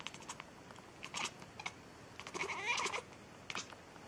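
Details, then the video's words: Cat meowing nonstop: scattered short chirpy sounds, then a longer bending meow near the end, set against a light room hiss. "Cat Meowing Funny , Non Stop"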